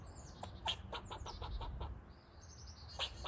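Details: A pet squirrel, apparently unhappy with the household cats, gives a rapid series of sharp, clicking barks, each short and harsh, in quick bursts.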